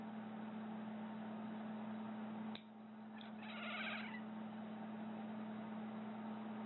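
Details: Domestic cat making an odd reaction sound each time nails are being clipped: a short warbling, wavering cry under a second long that follows a sharp click, against a constant low hum indoors.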